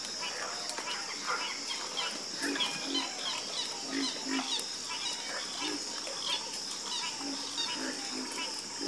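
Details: Chorus of frogs croaking: dense overlapping low pulsed croaks, rapid and irregular, from many callers, over a steady high insect hum.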